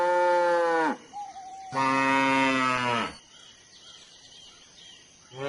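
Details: Cow moo collection: a rich moo of about one second, a brief faint whistle, then a longer, slightly hoarse moo, followed by quieter outdoor background noise and the start of another moo at the very end.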